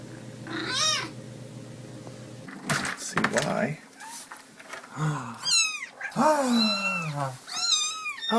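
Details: Domestic cats from a compilation of funny cats indoors; several short, high, arching meows with rich overtones, one near the start and a cluster from five seconds on, over a person talking and some clatter and thumps.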